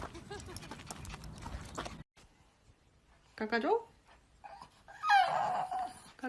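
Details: Puppy from a compilation of cute, funny puppies gives two high, whining cries that rise and fall, the second longer and wavering. They follow an abrupt cut from a stretch of human chatter and noise.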